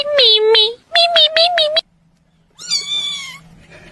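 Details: Domestic cat meowing indoors: a burst of two long, wavering meows, then a quick run of four short repeated meows, a pause, and one final drawn-out, falling meow.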